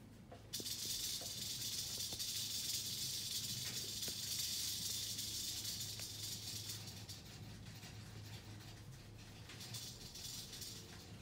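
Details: Eastern diamondback rattlesnake rattle bursting in abruptly after a short quiet start, a strong hissing buzz for about six seconds that then thins and weakens, over a low steady hum.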